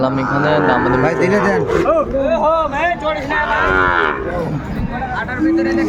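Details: Cattle at a busy market in Kurigram, Bangladesh, where Sahiwal bull calves are traded, 14 December 2024: overlapping long, harmonic moos rising and falling, several animals calling at once, with faint crowd talk underneath.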